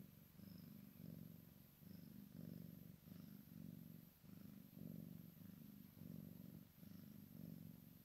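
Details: Maine Coon x Sphynx kitten playing with its mother, a steady low rumbling purr in pulsing bursts roughly every half second to second, with faint higher clicks now and then.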